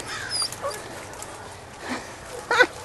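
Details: Belgian Malinois puppies of the S Litter du Dantero, 7.5 weeks old, playing on a puppy rubble pile on their first visit to a new place; thin high whimpers and short yips, with a sharper burst near the end, over outdoor background noise.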